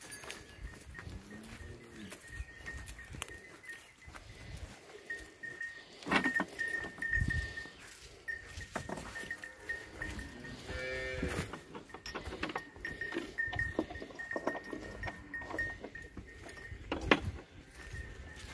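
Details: Jersey and Friesian cross cow for sale at Hayat Pur, Jhawariyan, Sargodha, Punjab, Pakistan, 29 January 2020; low, arched moos rise and fall near the start and again midway, over steady music and some clatter.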